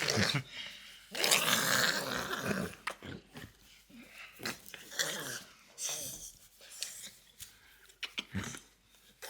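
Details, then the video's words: French Bulldog named Loki indoors making strange noises: broad wheezy, snorting bursts and grumbles, loudest in the first few seconds, then irregular short snuffles and breaths, with a person's voice faintly at times. "French Bulldog Makes Weirdest Noises You've Ever Heard!"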